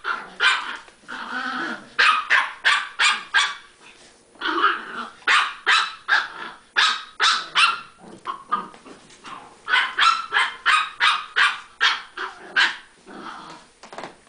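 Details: Chihuahuas at play bark rapidly and insistently, clusters of sharp high yaps tumbling over one another, with brief growly stretches between bursts.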